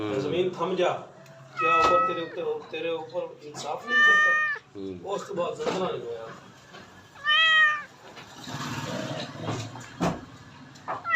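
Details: House cat uttering several short meows, two of them loud and arched, mixed in among frequent human speech and light household noise.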